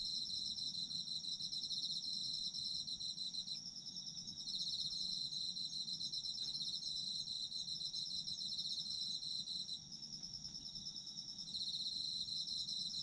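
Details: Sleep soundscape of autumn insects: continuous high, shimmering trills with rapid repeated pulses, volume easing down twice then rising again, set over a faint low background murmur.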